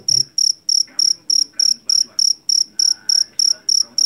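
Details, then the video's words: Jangkrik jeliteng, a Javanese field cricket captured in a rice field and known for its loud call, gives crisp high-pitched chirps at a regular pace of about three per second, with little else audible. "SUARA JANGKRIK PENGUSIR TIKUS SUARA ASLI"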